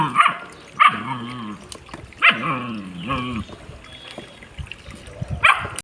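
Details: German Shepherd responding to flowing water with sharp yelping barks followed by drawn-out, wavering whines, repeated several times, over a background of running water.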